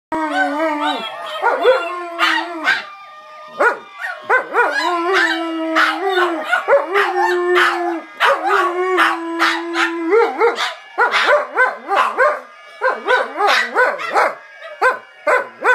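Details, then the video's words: Dogs howling along to banjo music, drawn-out wavering howls with held pitches rising and falling over plucked banjo notes throughout. "Howling Banjo's"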